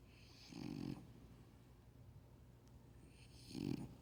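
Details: A sleeping French Bulldog, said to be just warming up, gives two short rasping snores about three seconds apart, with quiet breathing between.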